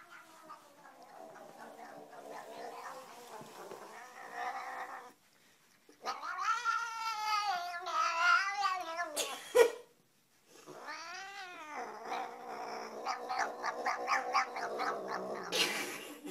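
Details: Domestic cats in a funny compilation, heard as drawn-out, wavering meows and caterwauls that rise and fall in pitch, in bursts separated by short silences around five and ten seconds, with faint background music.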